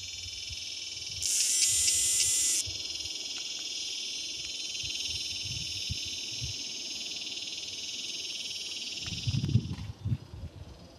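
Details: Male cicadas in Palm Desert, California, calling for mates in mating season: a continuous shrill metallic buzz, a louder, purer tonal burst for about a second near the start, then low thumps and handling noise toward the end.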